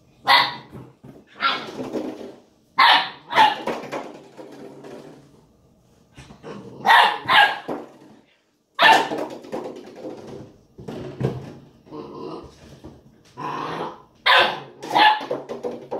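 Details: Eight-week-old Ibizan Hound puppy playing with a milk jug indoors: short, sharp barks in clusters of two or three, with pauses between bursts, while a man's voice encourages it to get the jug.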